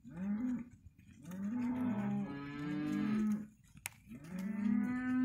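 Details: Male and female Hereford calves in a sale lot giving three bouts of moos, each a nasal bawl that swells and fades, with brief quiet gaps and a faint clink between calls.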